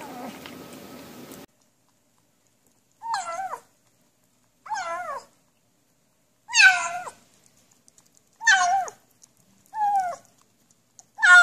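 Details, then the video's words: Cats and kittens meowing while eating, in a funny compilation where they seem to say "yum yum yum". Five or six short, bent, wavering meows come every one to two seconds, after a brief stretch of speech and noise at the start. "面白い猫と子猫を食べながら鳴きながらYUM YUM YUMを言って"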